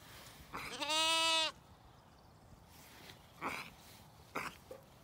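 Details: Evening on a County Kilkenny farm in Ireland: Zwartbles lambs call as the ewes eat a meal. One strong, strongly harmonic quavering bleat, followed by short breathy calls and low rustling.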